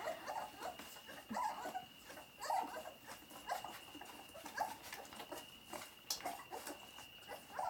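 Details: Labrador Retriever puppies nursing at Vărădia: short, thin squeaking whimpers come irregularly, about one a second, some in quick pairs, over soft rustling and a steady faint high hum.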